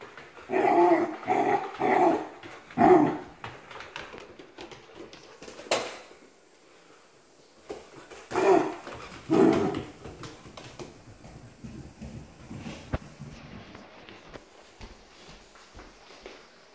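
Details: Two pet dogs, a golden doodle puppy and a corgi yorkie mix, bark excitedly indoors in a small room after their baths. Quick clusters of sharp barks come first, then a quiet stretch, then two more loud barks.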